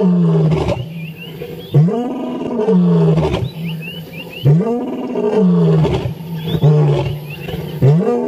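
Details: Male lion roaring at sunrise on 15 January 2017: deep, resonant moaning roars that swell and fade in bouts about two seconds apart, with high chirping birdsong faintly behind.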